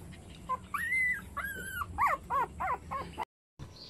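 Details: Puppies whimpering and yipping in a string of high, whiny calls, some long and arching, others short and wavering, packed closely together, with a brief cut to silence near the end.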